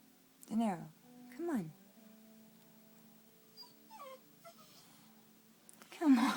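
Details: Pitbull puppy named DeNero, indoors in a bedroom, too scared of Barbara the flame point Siamese cat to pass by: two short falling moaning whines, then thin high whimpers sliding downward, with a person coaxing and laughter near the end.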